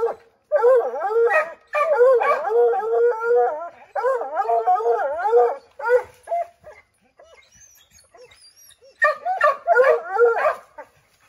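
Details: Several Redbone Coonhounds baying at a chipmunk treed in an oak, trying to send it scrambling down; long wavering overlapping howls in bursts, a quiet gap, then another chorus of bays.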